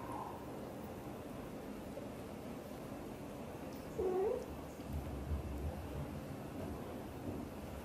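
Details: Xaxa, a blue golden British Shorthair mother cat, talks to and hugs her tiny kitten Piano: one short, curving meow sounds about four seconds in, with a steady low indoor hum throughout.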